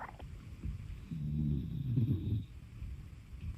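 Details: Shiba-Beagle mix dog snoring at home: one long, low, buzzing snore that swells and fades over about a second and a half, with a slight droning tone, then soft breathing and light background hiss.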